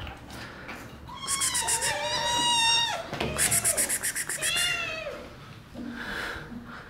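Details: Playful kittens pouncing on the person filming let out long, strained meows, the first one extended and steady, then a shorter one, broken by a run of quick rhythmic clicking pulses.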